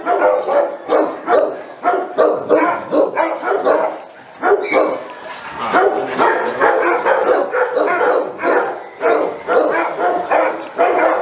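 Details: Saint Bernard dog barking in a fast, steady run of loud, deep-toned barks, roughly three each second, with a short lull near the middle before the barking picks up again and continues to the end.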